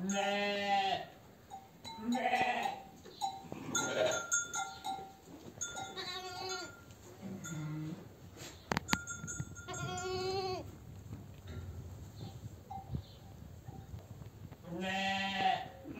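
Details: Newborn triplet lambs on a farm. Several short, quavering, nasal bleats arrive about every two to four seconds, with quiet gaps and faint knocks between them.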